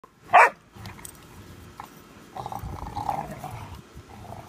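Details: Pudelpointers squabbling over a bone: a single sharp, loud bark opens, followed by low, rumbling grumbles and scuffling noise.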